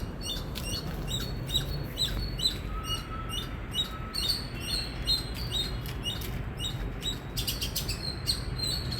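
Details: Indian squirrel giving loud, sharp high chirps in a steady run, a little over two per second, each a short clipped note with a bright ring, over a low rumbling background and a brief faint steady whine midway.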